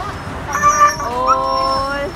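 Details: A Siberian Husky getting a vaccine injection cries out in pain and fear, a harmonic wail with rising, wavering pitch.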